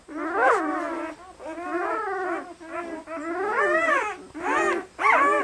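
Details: Eight red and black German Shepherd puppies, five male and three female, 48 hours old and very lively, at a breeder in Maine, New England; overlapping high whining squeals that rise and fall, in bursts about a second long.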